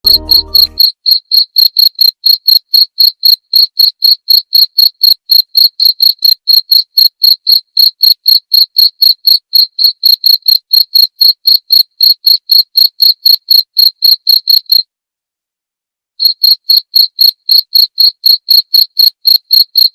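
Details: Cricket chirping used as training material for white-rumped shamas, meant to be played nightly: clean, sharp high chirps repeated about four per second in a steady run, a brief pause near fifteen seconds, then chirps resume; background otherwise silent.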